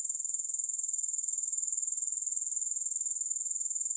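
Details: A steady, piercing, fast-pulsing insect trill from grasshoppers, constant and uninterrupted, with no background music.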